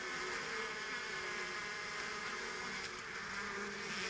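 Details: Honeybees from a beekeeper's own hives, a thick, even buzz of many wingbeats holding steady throughout, low tonal bands under a rushing high hiss.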